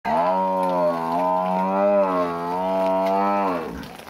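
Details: A water buffalo calls in the rain with one drawn-out, low, nasal moo, rich in overtones and held at an even pitch with slight wavers, lasting about three and a half seconds before fading quickly.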